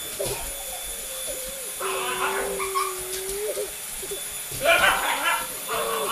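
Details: Bullmastiff-Boxer mix dog reacting to a sweeper: a long, steady mid-pitched whine rising slightly at its end, with short yelping whimpers before and after, and people talking over it.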